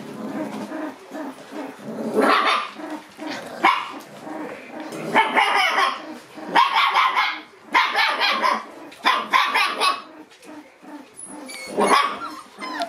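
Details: August-born Shiba Inu puppies making their debut in the room yap and bark in irregular noisy bursts every second or two, mixed with scuffling and a few thin high whines near the end.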